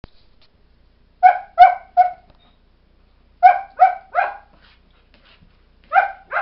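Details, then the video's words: Two four-month-old Airedale Terrier puppies, Kodiak and Angle, talking to each other indoors: short, bright yipping barks in quick bursts of three, each group separated by a pause of about two seconds. "Airedale Terrier puppies talking to each other"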